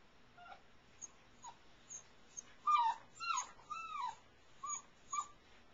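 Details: Airedale Terrier puppies in a whelping box at night whimper continuously, with short yips and falling, whining cries repeated about twice a second over soft rustling.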